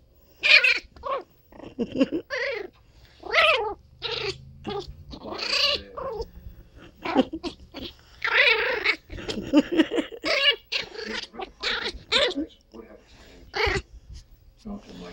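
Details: A female teacup Chihuahua puppy named Princess Esmeralda keeps up a chatter of high, wavering whines and yips. The short bursts crowd closely together over about fifteen seconds.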